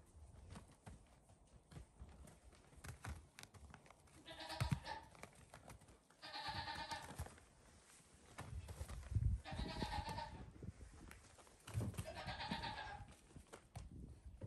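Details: Goat kids on a farm, five days old, playful and running about near their mother at bedtime; four harmonic bleats about every two to three seconds, each lasting under a second, with footsteps and rustling between them.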